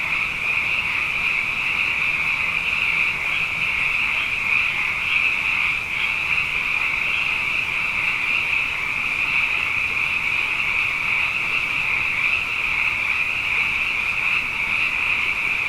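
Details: After two wet years running, frogs fill the night with a sustained chorus of dense, high, overlapping trills, steady in pitch and loudness for the whole stretch, with no breaks.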